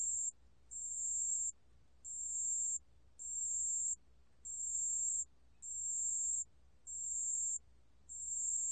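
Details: Pale bell cricket song, recorded in 2020 for Korea's National Institute of Biological Resources: a pure, high, ringing tone in bursts of about one second, separated by brief gaps and repeated steadily about once every 1.2 seconds. The background is quiet apart from a low hum.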